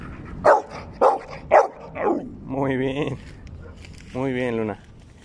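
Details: A female blue pit bull, Luna, gives three short, sharp barks on command as a greeting, followed by a man's praising voice.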